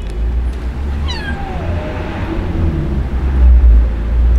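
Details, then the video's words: Abandoned kitten crying in the street, left by its owner: a single drawn-out meow that drops in pitch and fades after about half a second, over a constant low rumble of traffic. "Abandoned Kitten Crying At The Street"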